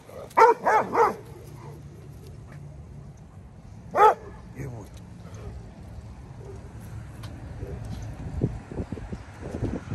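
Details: Dogo Argentino alerting during a walk: three quick deep barks at the start and one more at 4 s, then quieter rustling and faint voices.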